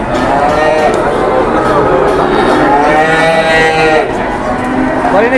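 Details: Cattle at a busy cattle market, several animals lowing in overlapping, drawn-out moos that rise and fall in long harmonic arcs, with steady crowd chatter and human voices all around.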